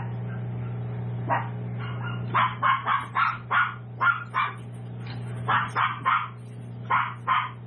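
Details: Seven-week-old tiny toy poodle puppies from Raven's litter, kept at a home-based breeder; a rapid run of high, sharp yips in bursts from about 2.5 seconds on, over a steady low electrical hum.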